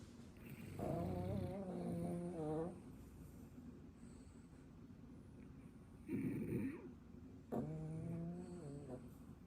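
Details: Two sleeping French Bulldogs, a ten-year-old and a puppy, snore. Three drawn-out breaths carry wavering, whistly, whine-like overtones. There are quiet pauses between them.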